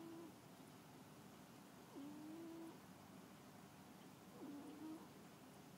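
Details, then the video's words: Sleeping cat snoring softly, with quiet low breaths that rise slightly in pitch, recurring roughly every two and a half seconds against faint room hiss. "Snoring Cat"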